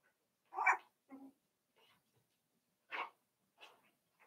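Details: Five-week-old Cavalier King Charles Spaniel puppies in Daisy's puppy pen, filmed indoors on a livestream, give short yappy barks: a loud pair near the start, a sharper yip about three seconds in, then softer trailing yelps.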